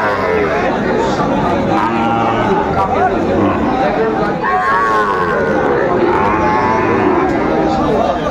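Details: Shahiwal and Friesian bull calves at a busy cattle market in Kushtia, Bangladesh, 6 May 2024; several low lowing moos with rising and falling tones heard over constant crowd chatter and men bargaining over prices.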